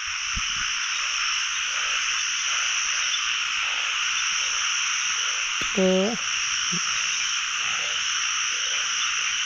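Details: Narrow-mouthed frogs calling all over a pond in Thailand on the first frog-catching night of the year. A dense, steady, high buzzing chorus fills the clip, with a short low tonal sound near the sixth second.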